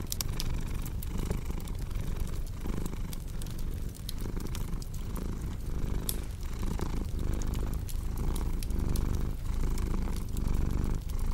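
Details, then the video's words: Domestic cat purring steadily in a low rumble that swells and fades with each breath, mixed with sharp crackling and popping from a cozy fireplace, arranged as relaxing ASMR for deep sleep. "Purring Cat with Cozy Crackling Fireplace Sound"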